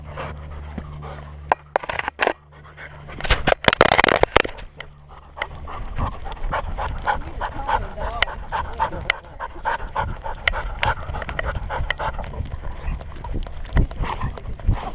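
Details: Welsh Springer Spaniel puppy hiking at Enchanted Rock near Fredericksburg, Texas, recorded from a camera on its collar: quick rhythmic breathy panting over steady footsteps, with a loud rustling burst of handling noise around the fourth second.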